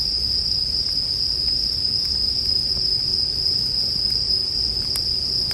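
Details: A continuous high, bell-like trill from a bell cricket holds without pause, while a wood fire crackles faintly in the background with occasional louder snaps.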